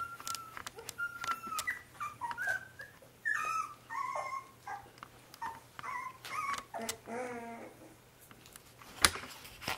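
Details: A 25-day-old corgi puppy named Paul whimpers steadily: high, thin, wavering whines that bend up and down, come in quick succession, and are broken by short yips and faint clicks.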